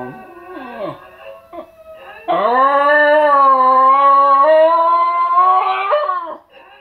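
A Basenji gives a long, steady, tuneful howl after a few short whines and yips.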